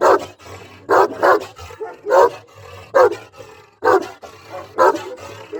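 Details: Dogs of varied breeds, large and small, barking in a compilation: short loud barks arriving in pairs and singles about once a second, with fainter background barking between them and a low hum underneath.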